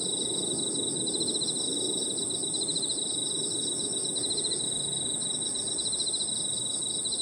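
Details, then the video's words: Evening park soundscape of crickets and other insects, a persistent piercing high tone with rhythmic pulsed trills rising and fading in bursts, over a quiet low hum of distant background noise. "Harmonious sound of crickets and other insects 저녁 공원 풀벌레 소리"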